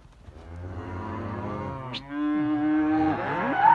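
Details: Simmental cattle calling in a herd of heifers and young bulls: a low drawn-out moo rising late in the clip, following fainter lowing, with a man speaking Russian nearby.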